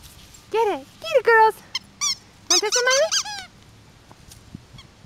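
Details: Yorkie puppies at play together, giving a quick run of high squealing yelps that rise and fall, some doubled and overlapping, then quieter with a faint low hum behind.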